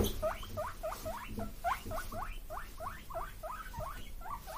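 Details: Two male guinea pig brothers, born March 31, 2022, wheek in quick, squeaky, rising bursts, begging for vegetable treats.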